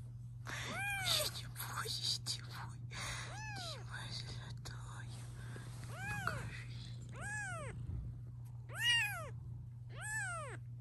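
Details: While kittens are filmed, their mother cat keeps up a series of short, arched meows about one to two seconds apart. Whispered human speech and handling noises are mixed in, over a low hum.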